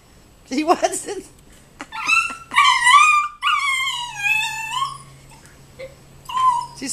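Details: A 12-week-old Siberian Husky pup, seeing a turkey outside, gives drawn-out, wavering whines and yowls, with a human voice in the background.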